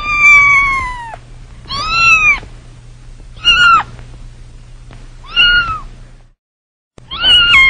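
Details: Kittens crying in a run of five loud, high meows, each under a second long, arched or falling in pitch, with a short gap of silence near the end and a faint hum beneath.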